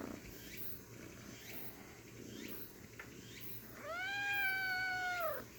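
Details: Little kitten's one drawn-out meow, rising briefly then holding level and dropping at the end, lasting about one and a half seconds over low background noise.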